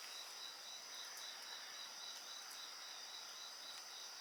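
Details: Night insects with a bonfire: a shrill high trill pulses rapidly, about three to four beats a second, over a steady ringing chorus, with a few soft fire crackles.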